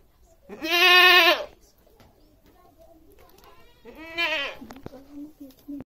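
A goat gives two loud, wavering, nasal bleats a few seconds apart.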